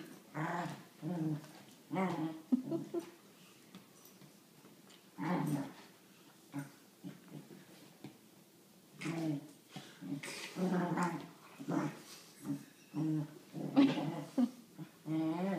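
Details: Dillon, a Wheaten Terrier with his favourite toy monkey, keeps up intermittent low growls and grumbles in irregular bursts, with a quiet lull midway before a busier run of rough growling.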